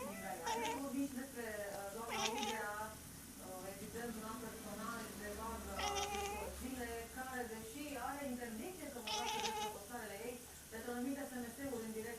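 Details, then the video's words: A she-cat chattering to an imaginary friend: repeated long, bending meows, several sliding upward into bright, strained cries, in a steady conversational stream, with a person's speech audible underneath. "A scary cat, talk with her imaginary friend"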